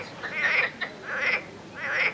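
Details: Greek marsh frog males calling beside a mating pair in amplexus at a suburban stream in eastern Thessaloniki, Greece, on 9 May; the calling male inflates two cheek-like vocal sacs. Three bursts of rasping, quacking croaks repeat about every 0.7 seconds.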